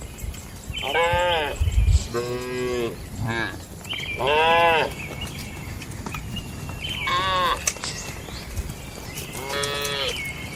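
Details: Domestic cattle lowing in the barn of a calm farm; five or six moos in quick succession, several short and higher-pitched, with low thumping noise early on and steady background hum.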